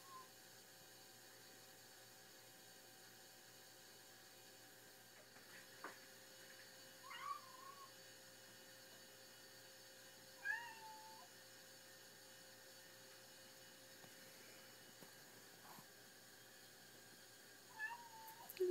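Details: Odin, a ginger kitten denied the balcony at night, gives several faint, short wavering meows spaced a few seconds apart in a quiet indoor room with a low steady hum.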